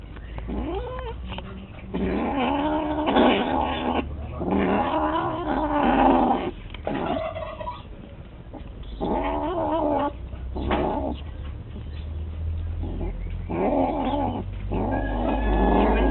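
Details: A cat, called a bad cat, making a funny noise: long drawn-out wailing yowls with rich harmonics, coming in several bursts of one to two seconds with short gaps, over a steady low hum.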